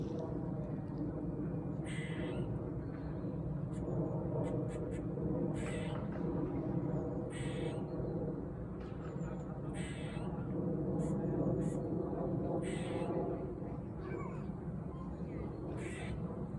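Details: Squirrel in a park in autumn, making a loud, bizarre noise: harsh, rasping bursts repeated roughly every second or two in irregular runs, over a steady low rumble of background noise.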